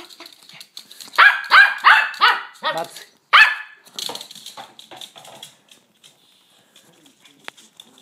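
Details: Yorkshire terrier named Suzy playing with a ball: a quick run of high, sharp yapping barks, about seven within two seconds, then one more loud bark and softer scattered sounds fading out.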